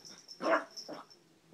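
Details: Bentley, a puppy said to be going nuts, gives one loud, short bark, then a softer second bark about half a second later, over a steady high insect trill.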